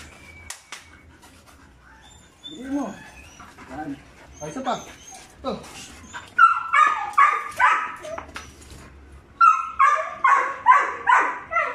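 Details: Five-month-old Belgian Malinois pups Juvs (brown) and Jeff (black) begin with scattered whines. Then come two runs of sharp, rapid barks, about two per second, each run lasting a few seconds, with people talking faintly behind them.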